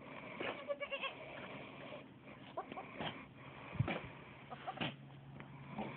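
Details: Alpine goat named Vanilla giving birth to twins; short bleats and snorting sounds scattered across a few seconds, mixed with rustling and low background hum.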